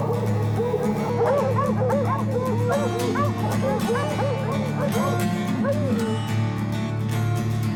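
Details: Several hunting dogs tracking a mountain lion in the snowy Rocky Mountains yelp in quick, frantic, overlapping short barks, tree barking meaning they believe a cat is treed, though perhaps the wrong tree; music plays underneath.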